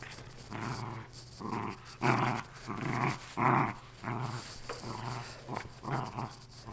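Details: Playful growling from a female Lakeland Terrier worrying her shredded stuffed animal indoors: rhythmic rough growl pulses, roughly one every second, some louder and harsher, with a faint hum underneath.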